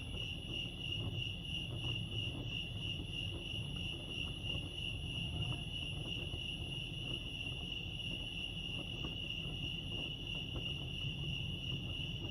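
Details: Crickets chirping at Lake Arrowhead, California: a steady, unbroken high-pitched trill holds one even tone with faint higher overtones, over a constant low rumble of background noise.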